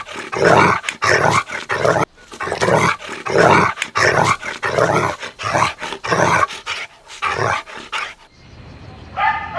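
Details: Golden Retriever puppies romping in an outdoor green meadow produce a dense, rough series of rapid barks and growly bursts, about one and a half per second, stopping abruptly near the end.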